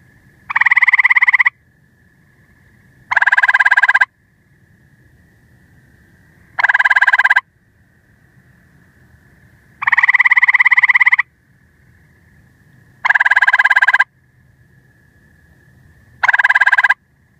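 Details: A gray treefrog (Hyla versicolor) gives loud, musical trills about a second long, repeated every few seconds.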